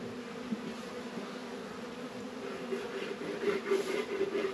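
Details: Honey bees at a Warre and Langstroth hive setup in northern Kentucky on a mild 72-degree February day. A continuous low droning hum swells slightly toward the end.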